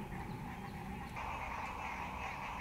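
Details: A dense chorus of frogs calling from a green, algae-covered fishing lake in Dallas, Texas, a steady overlapping croaking and trilling with low background rumble.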